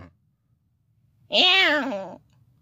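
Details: Dariyon, a clouded leopard cub born July 24, 2019 at San Diego Zoo, gives a single drawn-out, wavering meow-like call that slowly falls in pitch.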